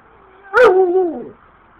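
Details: Female dogs from a backyard pack of German Shepherd and Rottweiler type dogs, fighting over their owner as he walks in; one sudden loud yelp that slides into a wavering, falling whine lasting under a second.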